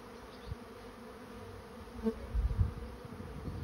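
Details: Swarming honey bees entering a trap: a continuous low, even buzz that holds steady, with a louder burst of deep knocking thuds after the midpoint.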